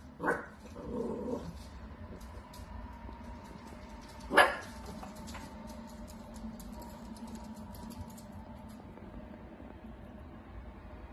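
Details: A playful dachshund indoors gives a short sharp bark, then a low rumbling growl, and a second loud bark about four seconds later, with quiet background between.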